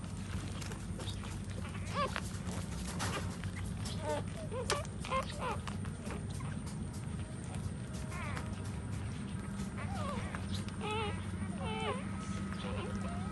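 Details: Puppies nursing from their standing mother dog give high, wavering whimpers and squeaks in scattered bursts, some rising and falling quickly, over a steady low rumbling background noise.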